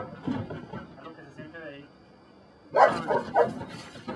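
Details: Male handler's voice gives way to a burst of rough, loud barks from Brujo, a Belgian Malinois trained for personal protection at the des Champs kennel in Mexico; barks come in a rapid, uneven cluster.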